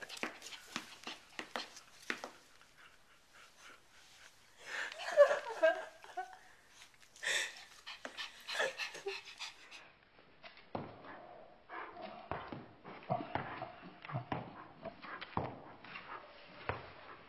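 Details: A pet dog indoors in a small room being fitted with camping shoes, panting in quick irregular breaths, about two per second, with scuffling and handling noises and brief human speech.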